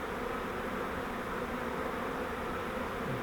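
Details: Continuous massed droning of a honeybee swarm taken from a custom flowerpot swarm trap during transfer into a Langstroth hive; a steady low hum, unbroken for the whole stretch.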